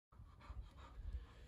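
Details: Five-month-old black Labrador Retriever, in a one-week training programme for recall, place and sit, pants quickly. The breaths come as soft, breathy puffs in a steady rhythm over a low background rumble.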